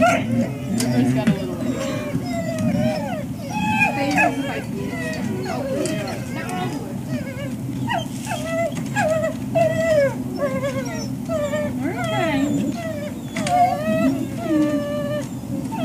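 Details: At breakfast time at the Service Dog Project, Ipswich, MA, in October 2017, a group of waiting dogs keeps up a chorus of rising and falling nasal whimpers, many short yelping whines crowding together over a steady murmur of human voices.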